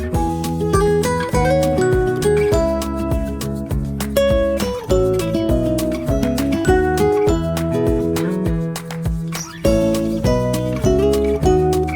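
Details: Acoustic guitar music plays throughout, with plucked notes and chords in a steady, flowing pattern and no animal voices.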